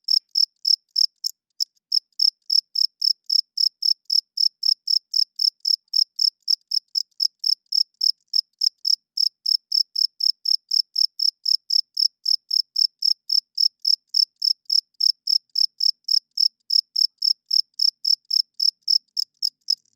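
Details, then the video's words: Male cricket chirping at night, the wing-rubbed song used to attract females and establish territory: clean high-pitched pulses repeated about three or four times a second, with one brief pause near the start and nothing else heard. "40 Minutes of Cricket Chirping Sounds - Cricket klinkt 's nachts luid"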